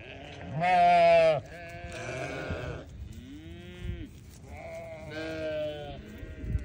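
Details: Newborn lambs bleating: a loud, quavering, harmonic-rich bleat near the start, then several softer, wavering bleats at varied pitches, some overlapping, with faint background rumble.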